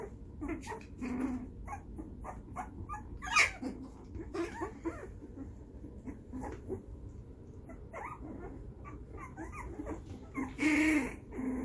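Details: Playing puppies aged 2.5 weeks, noisy while trying to chew on each other's faces; many brief squeaks and yips spread across the clip, a louder squeal near the end, over soft rustling.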